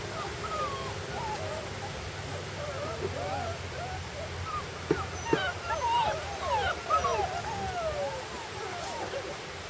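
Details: Puppies out of doors for the first time whine: high, wavering squeals that slide up and down, overlapping in bursts and growing busier toward the middle, with two sharp clicks and soft background hiss.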